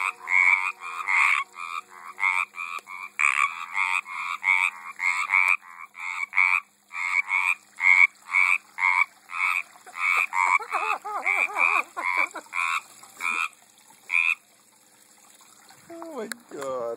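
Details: Frogs in a garden pond in 2012 give a fast chorus of rattling, pulsed croaks that thins and stops near the end, followed by a brief squeaky noise.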